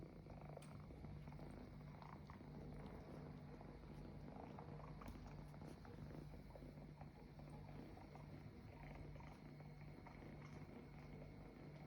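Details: Kittens acting as though a couch were their mother give a steady, low rumbling purr that runs unbroken through the whole stretch. A faint constant hum sits beneath it, along with a few soft clicks and rustles.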